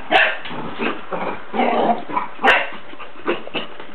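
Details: A young female puppy, playful and excitable after chasing her bone, barks at her owner in a quick run of short, rough yaps. The barks come in uneven bursts across four seconds, with a steady background hum.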